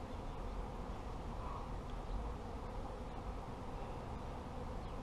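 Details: At a beekeeper's apiary, massed honey bees produce a deep, even, unbroken drone, rough and low-pitched, with no other clear sounds standing out.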